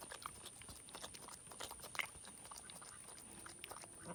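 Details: Boar roughly 4.5 to 5 months old, rescued from a roadside and now kept as a pet, licking and chewing chocolate donut glaze; quick smacking bites and crunches, one sharp click near the middle, faint high hum underneath.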